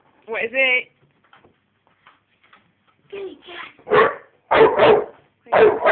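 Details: A female American Bulldog puppy, 5½ months old, barks at her teddy. A human voice comes first, then a burst of short, rough barks, some doubled, about half a second apart.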